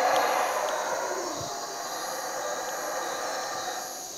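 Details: Pre-dawn chorus of howler monkeys near a cabin at Cotton Tree Lodge, Belize, at 4 am; a deep, rough roaring holds steady, then slowly fades a little, with a constant high insect hiss behind it.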